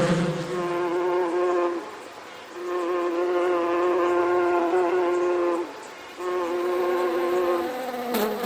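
Bees in a swarm make a steady, droning hum that swells and fades in three long waves. There are brief dips between them and a soft click at the end.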